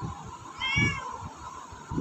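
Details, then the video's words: Female pet cat meowing for food when hungry, a short nasal meow of about half a second over repeated soft thumping or tapping sounds. "Talking cat asking for food"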